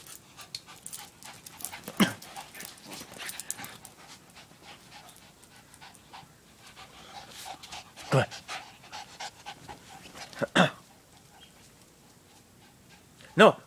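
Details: Lhasa Apso puppy playing with a neighbour dog, giving a few short sharp yips spaced several seconds apart amid soft panting and scuffling, with a woman talking to the puppy throughout.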